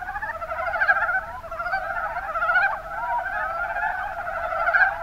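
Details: Many Mountain Brown Frogs (Rana ornativentris) in the Kuma Basin, Kumamoto Prefecture, Japan, produce a thick stream of quick, pulsed croaks, several voices overlapping at once, with brief louder bursts.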